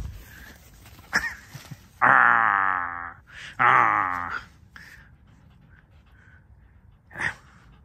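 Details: Alice, a pet red fox, when the kitchen is opened to her: two loud, drawn-out moaning growls about a second each, rich and harmonic, separated by a short pause, with faint knocks and clicks around them in a small room.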